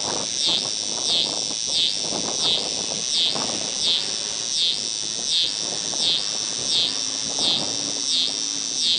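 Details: A scissor-grinder cicada (Neotibicen pruinosus) sings a loud, high, buzzing drone that pulses in steady rhythmic surges, at a rest stop along I-70 near Paxico, Kansas, in August 2007.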